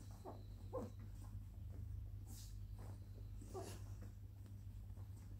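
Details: Twenty-day-old Labrador Retriever puppies, nicknamed little milk vampires, give a few short high squealing whimpers, three clear squeaks spread over several seconds, over a steady low electrical hum and soft rustling.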